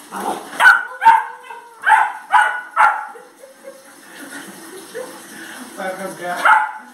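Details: Brighty, a white three-month-old Labrador Retriever puppy fond of water, playing with water: five short, sharp, harmonic barks in quick succession over the first three seconds, then quieter mixed voices, and a final bark burst at the end.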